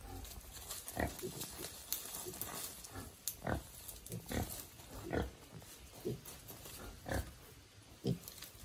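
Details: Small young wild boar released into the wild, learning to forage by instinct; short low grunts repeat irregularly about once a second, with faint rustling between them.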